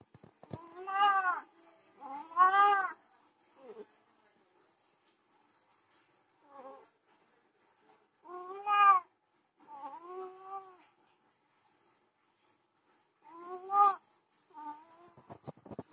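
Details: Desi and Persian cats mating, producing a series of strained, wavering yowls and moaning meows in irregular bursts over sixteen seconds, some loud and rising, others short and soft, separated by silences.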